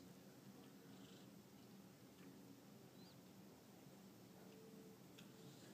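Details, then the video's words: Barnabas, a pet cat, snoring quietly while asleep; a very soft, low, steady rasping breath sound, barely above the faint room hiss. "Kitty snore"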